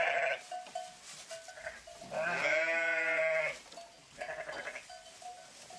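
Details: One loud, drawn-out, wavering sheep bleat in the middle, framed by softer, more distant bleats before and after.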